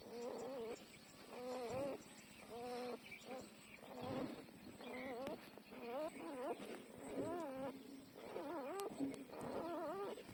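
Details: Twelve-day-old newborn puppies breastfeeding; repeated wavering whines and squeals rising and falling in pitch, several pups calling over one another in near-continuous bursts, with faint rustling underneath.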